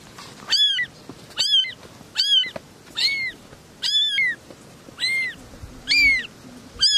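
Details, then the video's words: Three little kittens meowing: short, high, arched mews with a rising-then-falling pitch, repeated roughly once a second in a steady run of eight, with quiet gaps between them. "Three little kittens are meowing"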